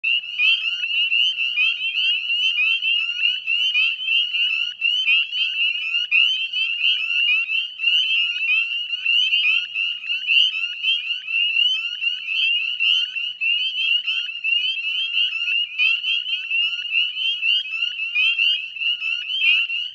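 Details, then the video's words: Northern spring peepers calling in a dense chorus at dusk, 18 May 2020, 9:08 p.m., beside a salt marsh at West Chezzetcook, Nova Scotia, Canada: overlapping high, rising peeps blend into a continuous shrill ringing with no other sounds. "Northern Spring Peeper Chorus"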